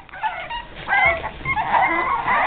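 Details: Several 5½-week-old Boston Terrier puppies give high, quavering whimpers and sharp yips, one screaming especially loudly, rising and falling in overlapping bursts as they want to be let out; a woman speaks briefly nearby.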